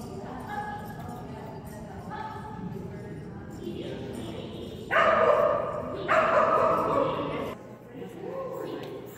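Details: Kerry Blue Terrier named Phenix on an agility training run dated 3-5-2019. Two loud, harsh barks sound about a second apart, with human speech and roomy indoor noise around them.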